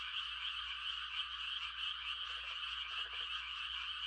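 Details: Frogs giving mating calls on a quiet country night: a dense, unbroken chorus of high trilling croaks from many callers, with a brief lower pulsed croak near the end. No other sounds are evident.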